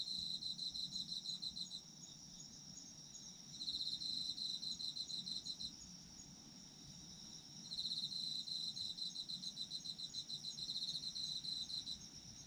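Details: Chorus of autumn insects, arranged for sleep: long trilled bursts of rapid high chirps lasting about two to four seconds, separated by quieter stretches where only a thin continuous high ringing drone of more insects remains.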